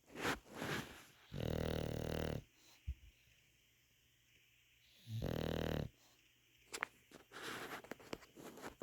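An English Bulldog snores loudly, each rasping breath rumbling for about a second.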